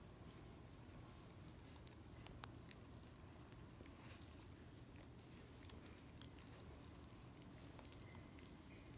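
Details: Quiet, sticky licking from a Miniature Australian Shepherd working peanut butter off a foot, scattered sharp wet clicks over a continuous low drone.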